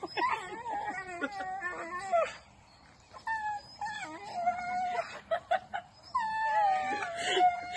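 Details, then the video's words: Playing dogs letting out long, wavering, howl-like whines and whimpers in several drawn-out bursts separated by brief quiet gaps and sharp yips. "Dogs masti 🤣 funny life sare dogs masti kr rhe h"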